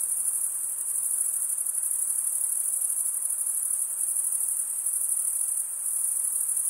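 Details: A steady wall of shrill cricket chirping, males rasping their wings, pulsing very slightly but otherwise uniform and high-pitched throughout, with no birds, voices or music.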